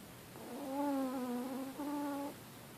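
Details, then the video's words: A sleeping female Chihuahua named Kola gives a whistling snore: two drawn-out, slightly wavering nasal tones, the first about a second long and the second shorter, heard against a quiet background. "Snoring little Chihuahua"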